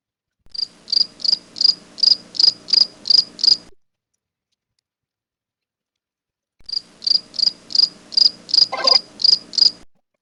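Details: Feeder house cricket (Acheta domestica) chirping in two bouts of about eight high, sharp pulses each, evenly spaced roughly 0.4 seconds apart, separated by a few seconds of silence, with a faint brief rustle in the second bout.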